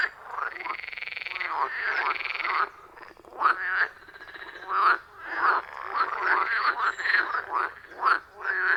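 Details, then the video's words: Frog chorus from a wild forest pond recorded on iPhone 14 Pro and Shure MV88+: an opening sustained buzzing trill gives way to loud pulsed croaks repeating roughly every second, several frogs overlapping. "Frog Sounds at a Forest Pond"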